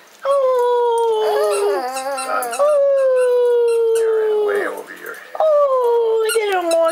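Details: Shih Tzu dogs in a family howling 'song': long, steady, slowly falling howls held for several seconds, with a second dog's wavering yowls overlapping and a short break before the howl resumes.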